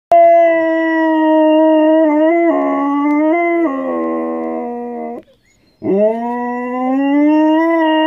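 A Siberian husky howls in long, rich, wavering tones, pausing briefly before rising into another drawn-out note.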